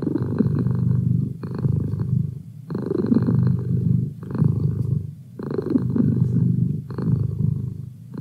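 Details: Indoor pet cat purring close up: a deep, buzzy rumble rising and falling with each breath, swells of roughly one to one and a half seconds separated by brief quiet gaps, no other sounds.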